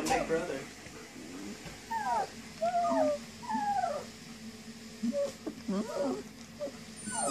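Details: Young puppies giving short, squeaky whines that slide downward, scattered through the clip with gaps between them. A few lower murmurs and faint human voices sit underneath.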